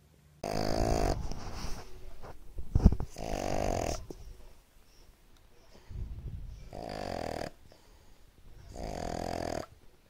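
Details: Pug snoring indoors, loud low rumbling snores in bursts about every three seconds, each drawn out and raspy, with quieter breathy gaps between.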